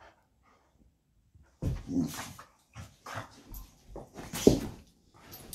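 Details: Golden retriever aged 13 and kelpie aged 14, playing beside their owner's desk as a reminder about walk time; near silence, then from under two seconds a run of short growly vocal bursts and whines in a small room.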